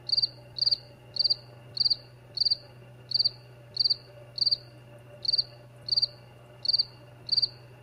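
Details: A cricket gives high, pulsed chirps at a steady pace, roughly three every two seconds, over a low constant hum.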